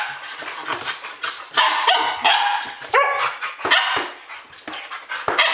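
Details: Standard Poodles at midnight, 12 August 2014, trading loud ringing barks, roughly one or two a second, some drawn out into yelping howls, with quieter yips between.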